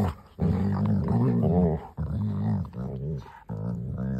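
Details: Mother and daughter Labrador Retrievers playing in a garden, giving long harmonic growls and grumbles in three bursts separated by brief pauses.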